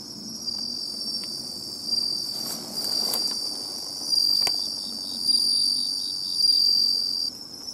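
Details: Bell cricket at the seashore, located by its song: clear, high ringing phrases roughly a second long, repeating several times, with a few soft clicks and rustles.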